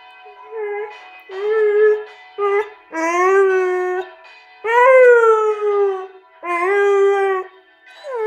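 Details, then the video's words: Afghan Hound singing in a run of separate howls, each a second or so long, several rising then sliding down, about one every one to two seconds, with brief gaps and music in the background. "Funny Afghan Hound singing"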